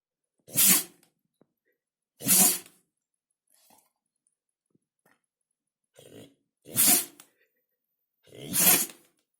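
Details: Siberian Husky sneezing because something tickles in its nose: four sharp, explosive bursts spaced about two seconds apart, with a short pause before the third and a soft snuffle just before it, in an otherwise quiet room.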